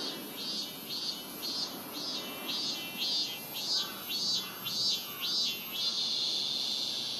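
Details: A robust cicada (minmin-zemi) sings loud, high, pulsing 'meen-meen' notes that merge into a steady drone, recorded in summer at Rokugo Shrine, Ōta, Tokyo, where cicadas began singing around July 20.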